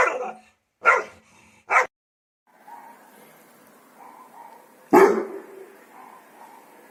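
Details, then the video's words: Dog from a guard dog breed compilation giving three quick barks, then a steady low hum and one louder, sharper bark near the end. "DOGS BARKING to Make your Dog Bark | Dog Breeds Barking Sound Effects HD"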